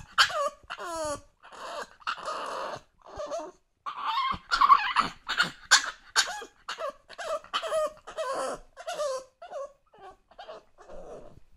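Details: English Bulldog puppy, two months old, whimpering to be let up on the sofa; a near-continuous run of wavering, nasal whines and moans, several bending downward, mixed with huffing breaths and grunts, growing louder midway.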